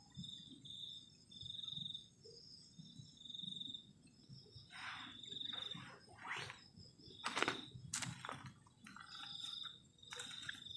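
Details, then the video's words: On a cold night at a forest-edge campsite, crickets give a high, buzzy trill that fades in and out, interrupted by loud knocks and rustling from someone working at camp. "ENJOYING THE SOUND OF CRICKETS ON A COLD NIGHT"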